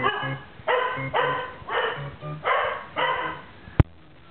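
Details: Pet dog barking excitedly in reaction to a sound played from a clip: six harsh, loud barks in quick succession, roughly every half second, ending with a sharp click.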